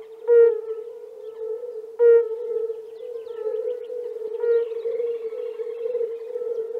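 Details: Frogs calling in spring in the Czech Republic: a steady, droning mid-pitched chorus with louder, harmonically rich notes rising above it roughly every two seconds.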